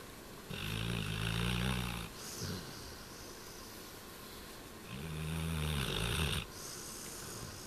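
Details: Maru, a black Labrador Retriever, sleeping and snoring: two long, rough, low rattling inhalations with a hissy upper edge, about a second and a half each, separated by roughly three quiet seconds of breathing.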